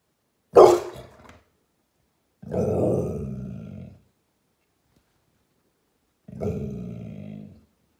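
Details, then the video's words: American Staffordshire Terrier barking at someone passing outside, ever watchful: a sharp loud bark followed by two longer, harsher growling barks spaced a few seconds apart, with silence between. "American Staffordshire Terrier bellt | Hund bellt"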